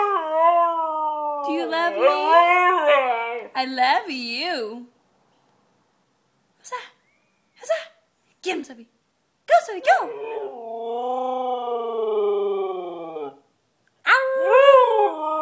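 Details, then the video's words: White Siberian Husky singing loudly indoors: long wavering howls and yodelling whines that rise and fall, broken by short yelps and pauses, ending in a fresh rising wail. "White Siberian Husky singing Loudly"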